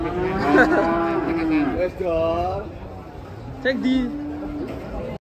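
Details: Cattle unloading from a truck give three moos: a strong, held bellow, a short wavering low, then a flat, steady call, each separated by brief pauses.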